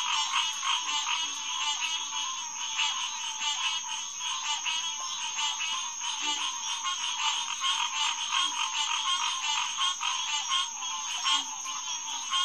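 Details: Green tree frog chorus recorded at Headquarters Pond near Lighthouse Road on June 2, 2021 after 9 pm: thick overlapping calls pulse steadily throughout, with occasional soft low croaks underneath.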